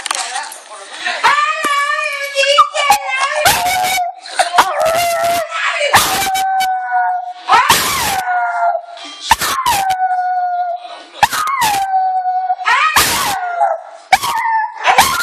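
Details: Chihuahua named Chi-chi vocalizing indoors as its owner says "I love you": long wavering, falling howl-like yowls with rich harmonics, broken by sharp broadband smacks and bursts, with a human voice mixed in.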